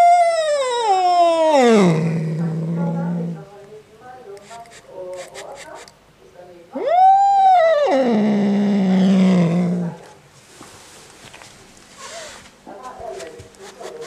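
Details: Angry male domestic cat, upset by a black cat resting outside, makes two long screaming yowls that fall from a high wail into a deep rumbling growl, with quieter rustling and murmurs between them.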